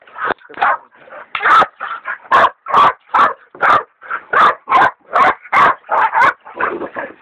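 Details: Two hog dogs bay a big sow hog, one a leopard dog in training: a fast, irregular string of hoarse barks and yelps, some higher and sharper, packed closely with short gaps.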